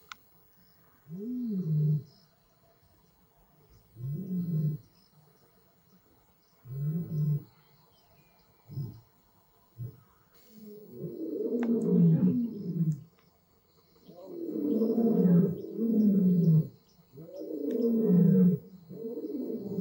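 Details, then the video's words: Lions of the Madrid pride and the Marataba males on Blue Canyon Private Game Reserve, young males learning to roar from their fathers: a series of deep, low grunting roars, short bursts repeated every few seconds, building into longer overlapping roaring. "Rulers of the Night Teach Their Sons to Roar"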